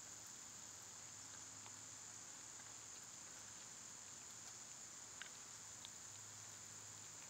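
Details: Cicadas in summer keep up a sustained piercing buzz at a single high pitch, with a low rumble underneath and a couple of brief faint chirps near the end.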